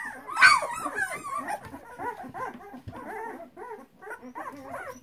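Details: Flat-coated Retriever puppies in their whelping box give a loud squeal at the start, then softer overlapping whimpers and short wavering whines from several pups.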